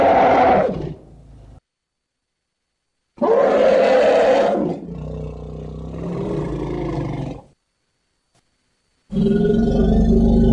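An elephant gives loud, harsh trumpeting blasts, separated by short silent gaps.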